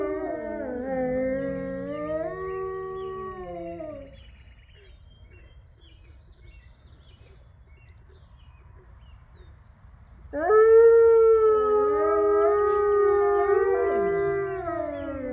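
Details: Pack of captive gray wolves howling in unison in an enclosure, with howls from neighbouring enclosures: a wavering multi-voice chorus fades out after four seconds, near-silence follows, then a loud, steady long howl with a second voice returns.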